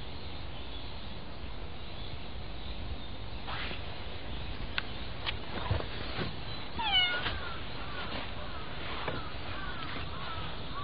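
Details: A cat being petted gives a few short, bending meows, clearest near the seventh and ninth seconds, over a steady hiss of background noise with scattered soft clicks and taps.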